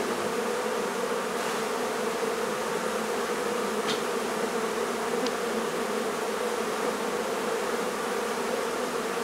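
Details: Honey bee hive being removed from a barn in La Feria, Texas; a steady, dense buzzing hum from the colony runs unbroken throughout, with a few faint clicks.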